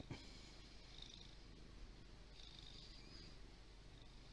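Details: Low, continuous purring from a large fluffy pet cat, captured with a Windows Phone 8X; an even rumble without breaks, quiet against a light background hiss, with one small tap near the start.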